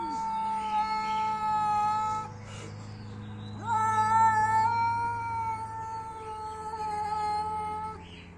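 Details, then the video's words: Angry fighting cat: two long, sustained yowls, the first about two seconds, the second over four seconds and swelling, a strained, steady wail with a brief scoop up at its start; quiet low hum in the background. "Cat fight sound effects"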